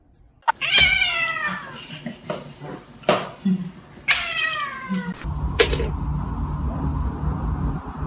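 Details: Domestic cat giving two drawn-out, falling, nasal meows about three seconds apart, with soft thumps and a low background hum in a room.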